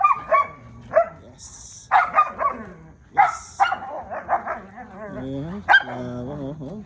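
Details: Belgian Malinois dogs playing in the morning, two against one, give sharp, irregular barks and yips, with a person talking excitedly in between.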